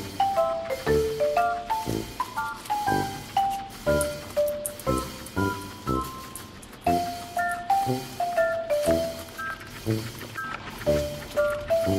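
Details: A bright mallet-percussion melody with steady beats plays throughout, with faint speech underneath and no animal voice.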